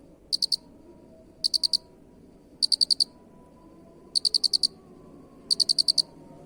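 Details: Cricket calling in regular bursts of four to six bright, rapid, high-pitched pulses, spaced about 1.3 seconds apart. Quiet low-frequency background noise underneath.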